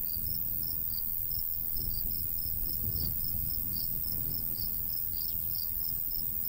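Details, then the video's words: Summer cricket chorus in open countryside by a golden wheat field: rapid, bright, evenly spaced chirps ride above a deep, steady breeze. "Countryside/cricket sounds"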